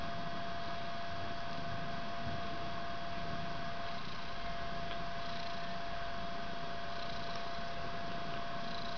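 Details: Fluffy white three-week-old kitten with its mother Ellis indoors in a bedroom, hugging her or climbing on her head, both purring. Steady low rumbling purr runs throughout, under a constant faint electrical-sounding hum.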